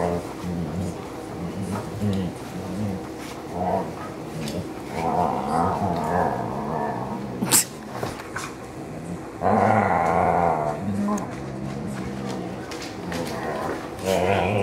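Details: Three dogs, a Pointer, a Husky mix and a Lab mix, wrestle lazily indoors on a blistering hot day. Low rumbling growls and grumbles run throughout, swelling into louder bursts, with a sharp knock midway.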